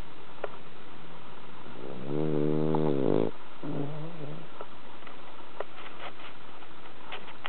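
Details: A cat named Bronson sleeping deeply after a tiring cherry-blossom walk: a rough, buzzing snore lasting just over a second, followed by a shorter, softer exhale, then faint room noise with small clicks.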